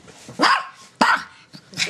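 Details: Pet dog, a female, playing; three sharp barks about half a second apart, each a short broad burst, with a brief softer sound between and faint room noise.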